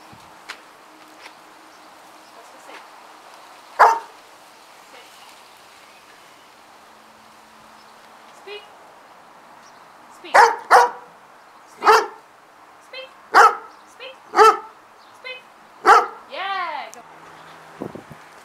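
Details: A German Wirehaired Pointer crossed with a Bracco Italiano during a training session gives sharp, single barks, one early, then a run of about seven between speech. A rising-and-falling whine-like squeal follows, along with a man's praise.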